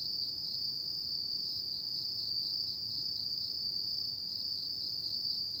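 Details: Night chorus of autumn insects, a continuous shrill ringing band with a slight shimmering pulse, steady in loudness throughout, over a soft low rumble of background noise.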